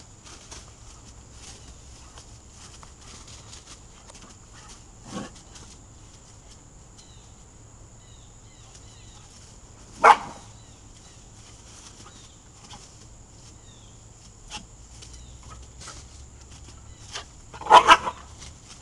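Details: Two dogs playing indoors, Alex, a 4-month-old Weimaraner puppy, and Anna, a 3-year-old Rottweiler/Chow mix: sharp, short barks or yelps burst out near 5, 10 and 17–18 seconds between quiet stretches, over a steady high hiss and faint chirping outside.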